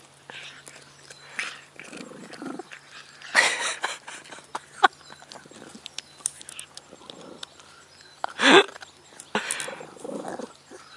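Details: Lana, a pet dog, goes wild when given a bone while a cat cannot get near. Brief harsh, noisy vocal bursts near the third and eighth seconds, softer scattered vocal sounds in between, and human voices throughout.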